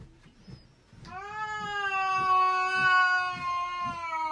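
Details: Domestic cat giving a long, loud, drawn-out caterwauling meow, rich and harmonic with a steady slightly falling pitch, lasting over three seconds after a brief quiet start, over soft rhythmic low thumping.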